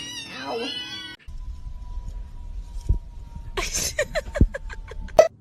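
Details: A cat gives one drawn-out, wavering meow lasting about a second. A steady high tone and a string of sharp clicks and taps follow, with quiet talk in the room.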